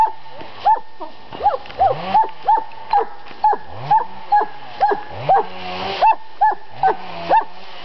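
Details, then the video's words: Pet dog at a summer home in Estonia barking in a steady run, about fourteen sharp yaps spaced roughly half a second apart. "And BARK said the doggie"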